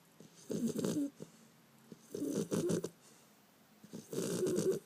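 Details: Bender, a Beagle puppy, asleep on 5 February 2012, makes three vibrating, purr-like snores with a rough fluttering texture, each lasting under a second and coming about every two seconds.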